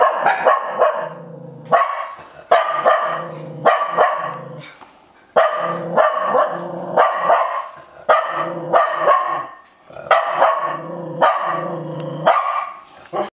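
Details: Japanese Spitz, startled by its own shed fur, barking in threat: loud, harsh barks in clusters of two or three, repeated steadily through the recording with short pauses between bursts.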